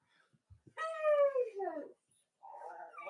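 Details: Cavalier King Charles Spaniel puppies indoors on a chilly Monday morning in the US, with three nursing mothers: a long, clear, harmonic whine holding steady then sliding downward, a second falling whine, a brief pause, then a wavering, lower cry.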